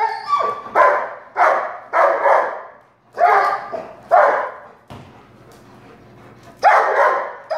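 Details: Friendly, chubby two-year-old female black Labrador Retriever barks while playing with balloons and popping them. About seven short, harsh barks come in an uneven series, with a quiet gap before a final bark.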